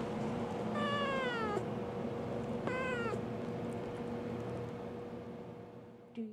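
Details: Kitten answers its owner with two drawn-out meows, the first wavering and falling, the second shorter and wavering, then quiet hum and a brief low sound at the end.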